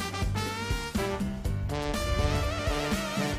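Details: Upbeat swing-style music with guitar and brass fills the recording, with no animal sounds.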